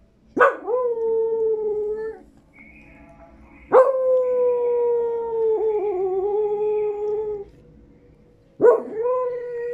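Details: Pet dog crying because it wants a tamal, giving long drawn-out whining howls that start with a sharp rise and then hold a steady tone, three cries in about ten seconds, with a person answering in Spanish.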